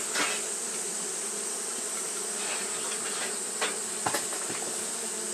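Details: Japanese honey bees fanning continuously on a hot day: a steady low droning hum with a bright hiss above, broken by a few sharp clicks and taps.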